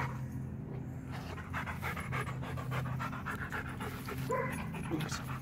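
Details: Rottweiler panting on a walk: fast, rhythmic, breathy huffs repeating several times a second with no pauses, over a steady low droning hum.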